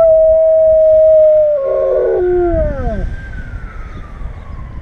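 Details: A male German Shepherd howls at sirens, giving long, wavering howls that slide downward over a steady siren-like tone.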